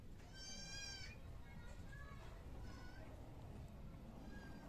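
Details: Goat at hand milking in a village setting gives one short, nasal, wavering bleat at the start, followed by fainter cries under steady low rumbling background noise.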